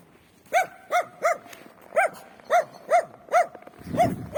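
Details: A free-range dog on a winter street barks in clear, evenly spaced single barks, roughly two per second, with a low rumbling noise at the end.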